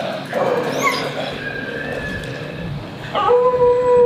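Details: Street dogs quarreling in play, a noisy snarl fades into low rumbling growls, then sharp high yelps break in at about three seconds and end in a steady whining cry.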